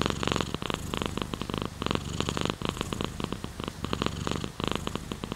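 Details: Close domestic cat purr, strong buzzing rumble pulsing rapidly, rising and easing with each inhale and exhale in even bursts about every second.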